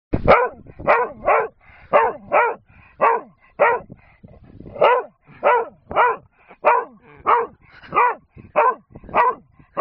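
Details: A dog named Bob barks at a man on a hillside, wanting a wooden gun found there. Loud, sharp barks come in a steady run of about one and a half per second, with short gaps between.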